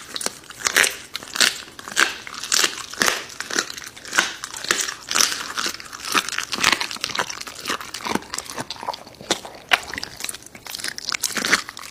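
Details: Crunching and biting noises from a dog eating raw meat indoors, sharp broadband chews repeating several times a second with no vocal animal calls.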